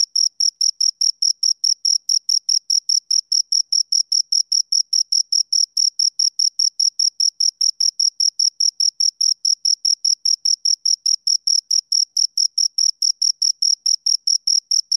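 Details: Pair of crickets stridulating in a fast, regular high chirp, about two and a half pulses per second blending into a continuous rhythmic trill, no background noise.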